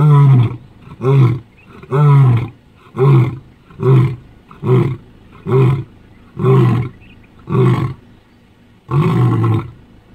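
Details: Lion in the African bush ending a roaring bout with a run of about ten short, deep grunts, roughly one per second, low and booming, the last one slightly longer.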